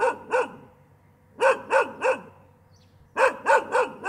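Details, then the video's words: A dog barks nonstop in quick runs of two, then three, then four sharp, resonant barks, each run separated by a short silence. "Tiếng con Chó sủa gâu gâu gâu liên tục"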